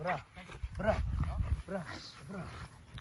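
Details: Bora, an XXL American Bully female, during bite training against a man in red: a few low, arching barks with gaps between them, mixed with a man's encouraging voice speaking Romanian.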